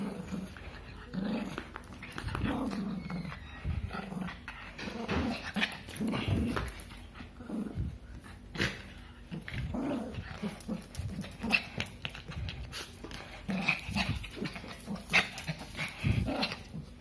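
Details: Growling playfully over a favourite glove, a little dog keeps up a steady run of low, throaty rumbles in repeated bursts, with scuffling, rustling and brief human speech in the background.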